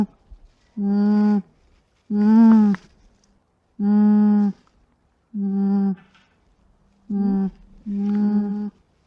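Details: Soft alpaca hums repeat roughly every one and a half seconds. Each is a low, level, nasal tone lasting under a second, one with a brief upward wobble, against a quiet background.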